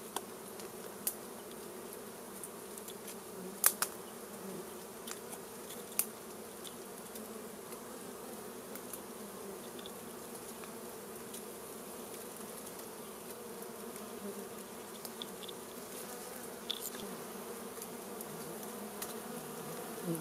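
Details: Honey bees at a wild hive in the plants being smoked out with fire for a honey harvest; a steady low, droning hum of many bees throughout, with scattered sharp clicks and crackles.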